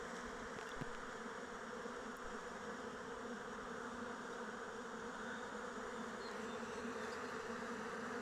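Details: Many honey bees fly around their hive in open weather, giving a steady, low droning hum of overlapping wingbeats.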